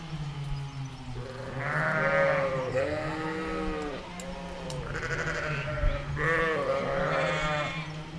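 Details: Meadow recording of a ewe and lamb: a run of overlapping, wavering bleats, some deep and some higher, calling back and forth over a steady low hum.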